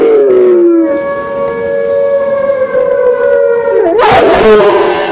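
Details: Rottweiler howling: a long sustained tonal wail holding a steady pitch for several seconds, sliding down at the start and rising into a harsher, noisier burst near the end.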